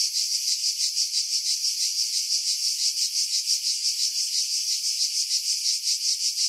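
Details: Continuous cicada chorus in pine trees above Pefkos Bay on Skiros, Greece, July 2018, heavily filtered to remove wind buffeting; high, hissing buzz with a regular throbbing pulse roughly three times per second, no other sounds.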